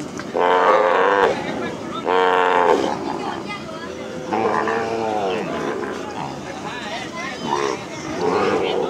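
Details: Calves released after branding on a plains cattle ranch give two strong, harmonic bawls early on, then weaker lowing mixed with men's voices talking nearby.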